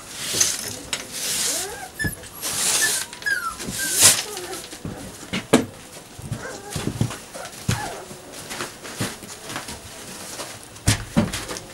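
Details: Two puppies named Savannah and Jericho at play, giving short, high whiny whimpers and yips in quick, uneven bursts, with sharp scuffling knocks and thumps between the calls.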